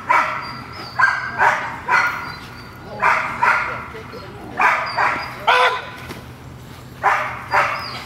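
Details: Female dog Gold at protection training with a new decoy barks in spaced pairs and short runs, loud and clipped, separated by pauses, while a person talks in the background.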